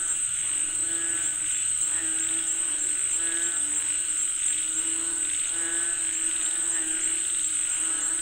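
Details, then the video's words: Frogs calling for rain give quick, irregular trains of reedy croaks, many voices overlapping, with a loud steady insect whine above them throughout. "Listen to the Sound of Frogs Calling For Rain 🌧️🐸 เสียงกบเรียกฝนตก"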